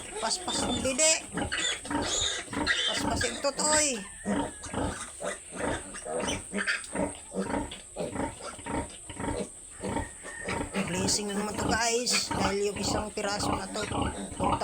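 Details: Two mother pigs on a farm grunting in a dense, uneven stream of rough low pulses, about two a second, mixed with human talk and a constant high-pitched hiss.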